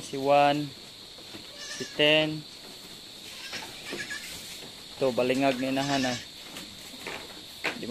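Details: Anglo-Nubian goat on a Philippine farm in San Carlos City, Negros Occidental, during a birthing day that produced seven kids; two short, loud nasal bleats, then a longer wavering one after a pause, with background hum.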